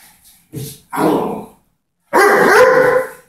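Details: Doberman in a playful struggle over a ball: two brief gruff grunts, then a longer, strained growling whine with a raspy edge.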